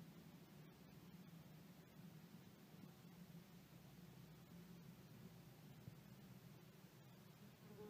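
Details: Roughly fifteen common wasp workers and their queen inside a small nest in a metal drawer in a shed, rebuilding damaged comb after a failed relocation, chewing food, some leaving to forage; a soft, steady low droning hum with faint clicks.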